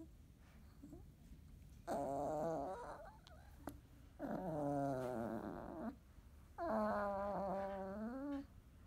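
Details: Field-type Labrador Retriever puppies, 30 days old, indoors after waking, nursing, eating and playing together until sleepy; three drawn-out, tonal whines, each lasting about a second, wavering slightly in pitch, separated by soft shuffling and quiet background.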